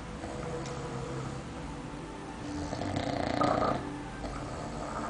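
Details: Gara, a pet cat, snoring indoors in a small room, with low rasping breaths in a steady rhythm that swell into a louder, broader rush near the middle before settling again.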